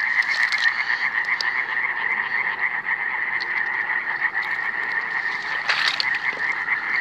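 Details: Iberian tree frogs (Hyla molleri) recorded in 2017, many males overlapping in a continuous raspy, pulsing drone at a steady pitch, with a brief burst of higher noise near the end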